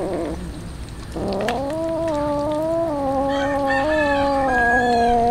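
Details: Hungry street cats meowing while being fed tuna: a long, drawn-out, wavering meow with strong harmonics, rising slightly then holding steady for about four seconds, with a second voice briefly overlapping near the end.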